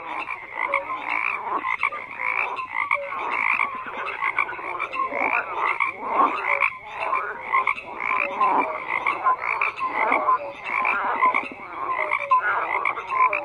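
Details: Frogs croaking in a dense chorus: overlapping pulsed croaks and short tonal notes between roughly mid and high pitch, rising and falling in waves every second or so, with no other clear sounds.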